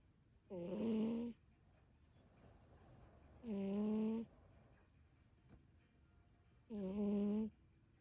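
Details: Kiki, a brown tabby cat, suddenly starts snoring while asleep. There are three drawn-out, throaty, harmonic snores, each lasting under a second and coming roughly every three seconds over a low background hiss.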